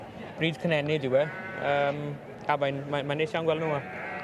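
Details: Torddu sheep bleating in two bursts of quavering, wavering calls, each a few seconds long and separated by a short gap, with a man speaking alongside.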